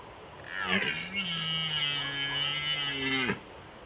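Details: Red deer stag in the 2021 rut, Small Fatra mountains, Slovakia: a single long, drawn-out roar lasting nearly three seconds, low and steady with a strained, rasping edge, rising slightly at the start and falling off at the end.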